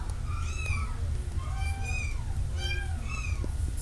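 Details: Kittens with a cat listed as A708496: four high-pitched, arching meows in quick succession, each rising then falling, over a steady low hum.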